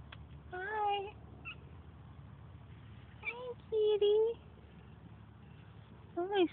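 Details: Siamese cat met by chance gives a few short meows, one bending up then down and one held fairly level, separated by a person's soft, coaxing talk to the cat, over a low steady hum.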